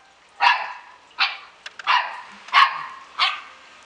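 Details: Samoyed puppies from a Slovak kennel, Klbko radosti, yip repeatedly: five sharp, bright barks roughly every three-quarters of a second, each a quick burst.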